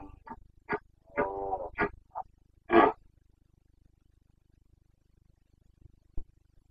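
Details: Stag of the Carpathian red deer in Bucovina's mountain forests during the breeding season, September 2022: clipped grunts around a short, tonal, moaning roar, ending in one loud harsh bark-like grunt before quiet.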